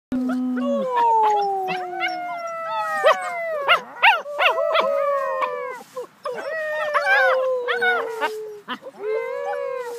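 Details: Puppies howling together with their littermates: several overlapping high, wavering howls, long gliding notes that fall slowly in pitch, mixed with short yips.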